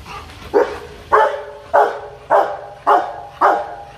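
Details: Rottweiler named Loki barking aggressively and threateningly in a fit of hostility; loud deep barks repeat about every half second, seven sharp bursts in four seconds.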